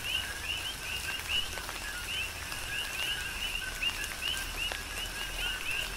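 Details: Tropical rain on the Big Island of Hawaii with coqui frogs calling: clear upward-sliding whistled chirps repeated roughly every half second by several frogs, set against soft steady rain and occasional drop hits.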